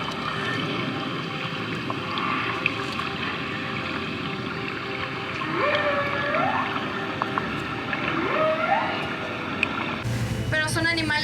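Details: A whale off Puerto Vallarta, Mexico, recorded while people on board kept quiet, sings in slow, tonal upsweeps that rise and bend, with a low hum of water noise.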